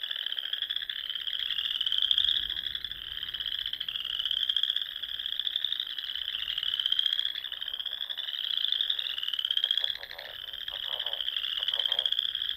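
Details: Frogs in the Nebraska Sandhills, singing at dusk in spring beside small lakes and ponds; a thick high-pitched trilling chorus pulses in overlapping waves, with short deeper croaking bursts near the end.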